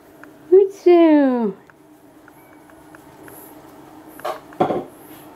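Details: Lobbes, a pet cat, indoors during a cuddling session: a brief chirp, then a single drawn-out harmonic meow that slides downward in pitch over about half a second, followed by quiet room tone and a couple of soft knocks or rustles.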